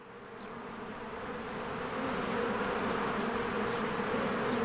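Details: Honeybees in spring, many flying in and out of their hive while flowers bloom; a dense, steady buzzing drone that swells from quieter to louder over the first seconds, with a low rumble beneath.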